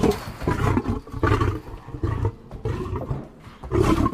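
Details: Lion giving deep, rasping roar-grunts, five heavy low bursts in about four seconds, each rough and breathy, separated by short quieter gaps.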